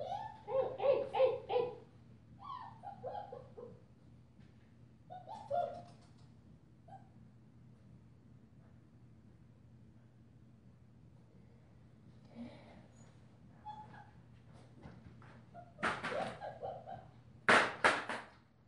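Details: A female German Shepherd pup, five weeks old with a purple collar and out of Witch von Wendelin by Ibon Jipo-Me, lets out clustered whimpering whines early on, then sparse calls among quiet gaps, ending with a few loud broadband clatters.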